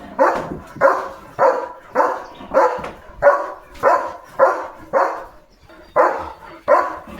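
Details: German Shepherd named Leo raising a morning commotion in the village, barking at cattle, vehicles and dogs; a long run of about a dozen rough, evenly spaced barks roughly every half second, loud and dominant.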